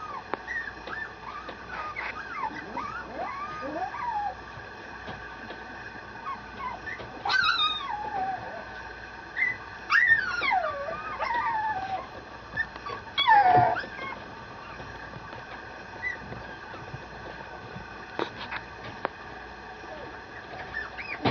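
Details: Two male Mame Shiba puppies, miniature Shiba Inu, at a breeder in Japan, make high whining whimpers that rise and fall in pitch, with long wavering calls and short yelps between steady background hum.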